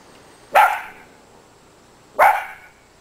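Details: Two Miniature Dachshunds playing in deep winter snow; two sharp, bright barks about 1.7 seconds apart, each quickly fading, over a quiet outdoor background.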